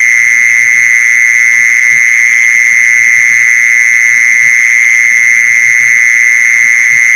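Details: Lure call for attracting mole crickets: a continuous, shrill, droning trill that never pauses, holding one pitch throughout, over soft low-pitched knocking.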